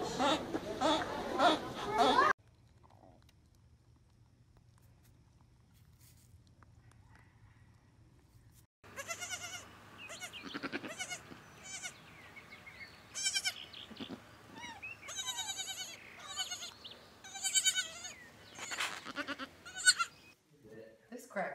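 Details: Goat with a baby goat: after a loud noisy burst and a quiet pause, a run of wavering, harmonic bleats comes in short repeated bursts at irregular intervals through the second half.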